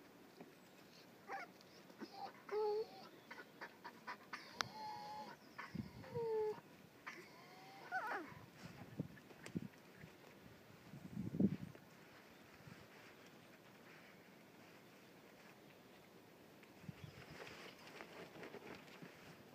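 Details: Six-week-old Schipperke puppies giving a few thin, high whimpering squeaks, short wavering whines scattered over the first eight seconds, amid soft thumps, scuffling and rustling, with a quieter stretch afterwards.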